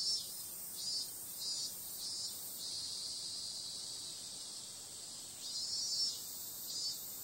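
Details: Cicadas calling on a summer night: a dense, steady high hiss of insect song with pulsing bursts that swell and fade roughly every half second to second, with a quiet stretch in the middle before the pulses return.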